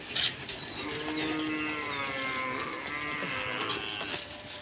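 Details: Qurbani cattle, one of a pair being brought in, lowing in a drawn-out moo of nearly three seconds that swells then sags slightly in pitch, over a hiss of background noise and a sharp knock at the start.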